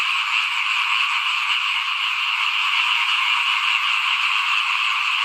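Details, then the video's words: Frogs calling in front of a house at rice sowing time in 2021, a steady, dense chorus of overlapping high-pitched croaks and trills running without pause, with no other clear sounds. "เสียงเขียดร้องหน้าบ้าน ตอนหว่านข้าวเตรียมปลูกปี2021"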